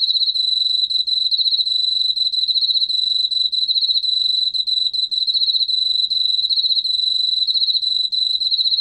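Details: Korean field cricket (왕귀뚜라미), recorded in 2020 by the National Institute of Biological Resources, giving an uninterrupted high-pitched pulsing trill from start to finish, rapid chirps blending into a steady ringing tone against near silence.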